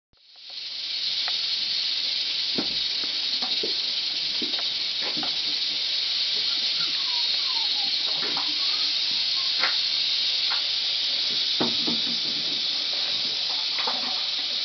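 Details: Western diamondback rattlesnake, a large captive male about 140 cm long, rattling furiously: a loud, unbroken high-pitched buzzing hiss that starts abruptly and holds steady throughout, with faint clicks and knocks beneath.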